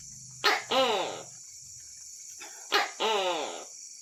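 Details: Two paired calls of a Tokay gecko at night, each a clipped opening note and a drawn-out, harmonic, down-curving second note. A continuous shrill drone and faint low murmurs sit underneath.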